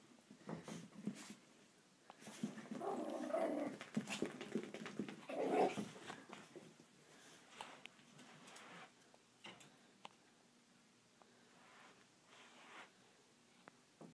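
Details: Coco, a Chihuahua, plays on the carpet indoors after a shower in Amarillo, Texas. It makes soft, low growls in short bursts around the third and sixth seconds, with rustling and scratching on the carpet between quieter stretches in a small room.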